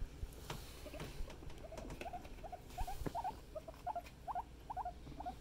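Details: Pet guinea pigs in a happy family group, one male having climbed on top of a female; a run of short squeaky chirps, often in close pairs, grows livelier toward the end, with soft rustling and bumps underneath.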